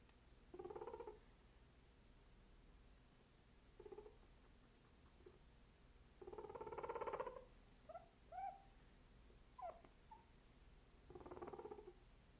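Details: Angry guinea pig grumbling, apparently upset at noise in the background: short pulsing purr-like rumbles come in bursts, with a longer vibrating grumble midway, brief squeaky chirps between them, and a final rumble in a quiet room.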